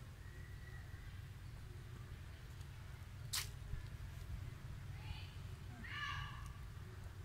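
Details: Baby monkey Sweetpea, unhappy as its mother Popeye refuses milk, among free-roaming monkeys at Angkor in Siem Reap, Cambodia: two short, thin, harmonic squeals late on, faint over steady low rumbling background noise and a sharp click.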